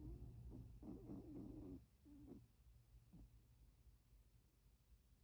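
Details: Sleeping Chihuahua named Milton, eye twitching, snores in short, wheezy bursts with a thin whistling edge, three or four quick breaths followed by two fainter puffs as the sound fades into quiet background rumble.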